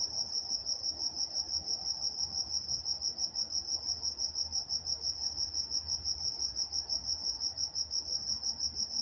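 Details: Crickets calling at night in Walnut, California; sharp high chirps pulse steadily at nearly three per second throughout, backed by a faint low drone.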